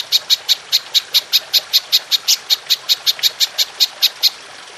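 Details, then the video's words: Golden grasshopper in a songbird training recording: crisp, sharp high clicks repeated steadily, about three to four each second, each with a bright metallic ring, over a quiet background. "Belalang Emas Nembak Panjang"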